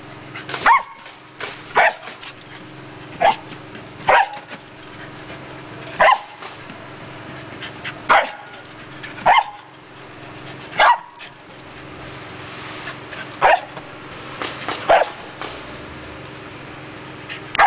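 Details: A Pembroke Welsh Corgi playing with an exercise ball gives sharp, mid-pitched barks, spaced roughly every one to two seconds.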